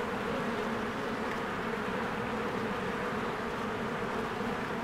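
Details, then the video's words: Bees swarming in and out of their hive in spring, flowers blooming, filmed on a Canon EOS R: a dense, steady drone with low hum bands, unbroken and even in loudness throughout. "1 Hour of a Beehive ASMR"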